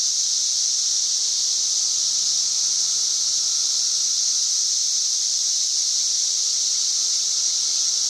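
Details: Cicadas singing in trees on May 31, 2024, loud enough to reach about 90 decibels: a dense, steady, high-pitched buzzing drone that never pauses, with no other sounds breaking through.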